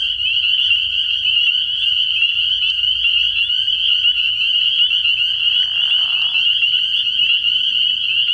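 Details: Spring peepers calling in a dense nighttime chorus at a frog pond early in the year: countless high, piercing peeps overlap into a steady shrill ringing, with brief, softer interruptions near the middle.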